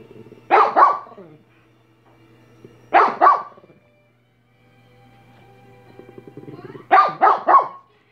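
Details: Minnie barking: a double bark, a second double bark about two and a half seconds later, then a burst of three rapid barks after soft rumbling, over a low background hum.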